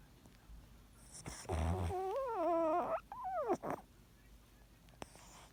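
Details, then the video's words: Yorkshire Terrier indoors, suddenly making a puppy-like whimpering sound while snoring: a drawn-out, wavering whine that rises and falls in pitch, then a few shorter whimpers, with quiet breathy noise around it. "ヨーキー 子犬の鳴き声の様ないびき"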